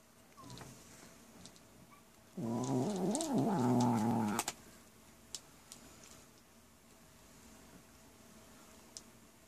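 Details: Buddy, a pet cat, growls while eating his cat food, guarding it when petted: a two-second voiced, wavering moan with a rising and falling pitch, then quiet room noise with faint clicks.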